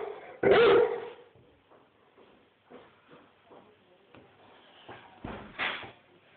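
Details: Rhodesian Ridgeback giving loud barks: a sharp, booming bark, then about five seconds of soft snuffles and faint whines, then a second loud bark.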